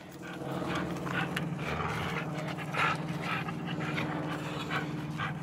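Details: American Staffordshire terrier Tyson playing tug with a rope against a blue blood bulldog; rough, breathy panting bursts repeat about every half second over a low steady growling hum, with scuffling in the background.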